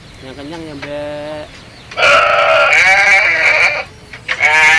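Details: Village goats, big and small, bleating while fed: a lower, shorter wavering cry, then a loud, high, sustained bleat of about two seconds, and another starting at the end.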